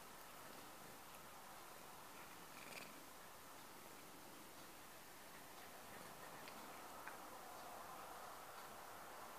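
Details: House cat purrs to wake a sleeper, a close, even, throaty rumble beating roughly four times a second without pause, light rustling now and then over the steady drone.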